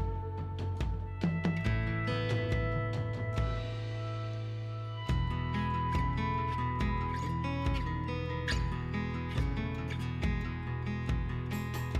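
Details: Plucked and strummed acoustic guitar music with a steady rhythmic pulse fills the whole stretch, with no animal sound.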